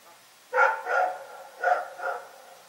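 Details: Rex, a dog barking in the night, gives two pairs of barks, each pair a strong bark followed by a slightly softer one, with a short pause between pairs.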